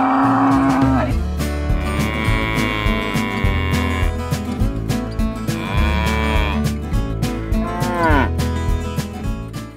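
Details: Cattle at a livestock fair and auction, lowing in several drawn-out, harmonic moos of about one to two seconds each, spread across the stretch, over steady rhythmic background music with a thumping beat.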